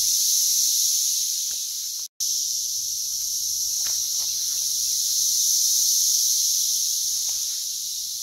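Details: Periodical cicadas of the Brood X emergence, June 2021 in West Virginia, plentiful and loud at about 85 dB; an unbroken high, hissing drone with a brief dropout near two seconds and scattered soft ticks.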